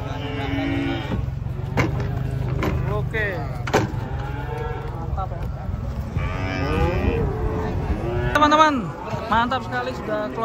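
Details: Large cattle stepping down from a truck in the morning, with a series of moos, some held and some bending downward, against a constant low vehicle drone and clatter of handling.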